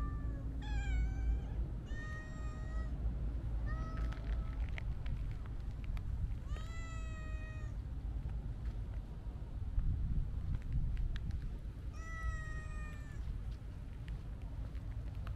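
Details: Siamese mix cat meowing repeatedly, about five clear, drawn-out meows spaced unevenly across the recording, each bright and slightly rising then falling, over a steady low rumble of background noise.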